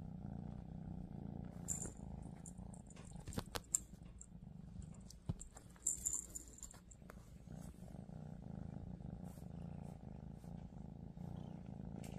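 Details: Female Scottish Straight cat with a lilac coat purring continuously in a low, even rumble, broken by several sharp clicks and brief high hissing rustles.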